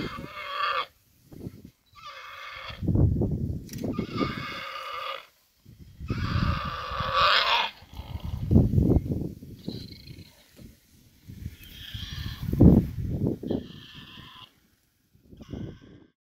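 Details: A big warthog struggles against a big male leopard that has caught it. It gives repeated short, harsh squealing screams in bursts of one to two seconds, mixed with low thuds and grunting scuffle noises.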